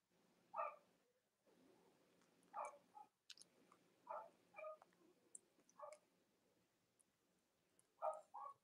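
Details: Cavalier King Charles Spaniel puppies from the litters of Robin and Myra on a chilly Monday morning live stream: short, high squeaky whines at irregular intervals, about six brief cries over a soft room hum.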